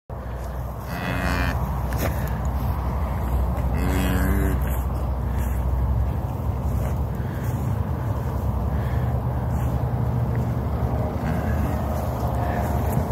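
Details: Registered Simmental calf, newborn, born on 8 December 2022 on a ranch, gives two short, mid-pitched bleating moos about three seconds apart, over a steady low engine rumble throughout.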